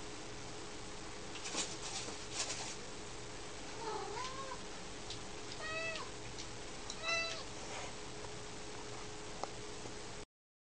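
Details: Fat cat stuck in a door, meowing: three short harmonic mews, rising then falling, around four, six and seven seconds, over a steady low hum and faint rustling.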